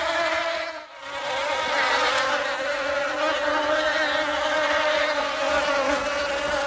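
A bee's steady, droning buzz with a clear low hum and rich overtones.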